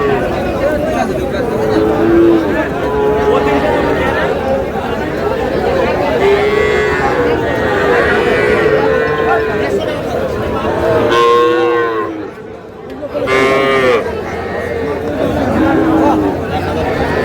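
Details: At a crowded livestock market in Noakhali on 21 July, young bull and heifer calves give scattered brief moos, with a louder cluster of calls near the end; continuous human talk and market bustle fill the background.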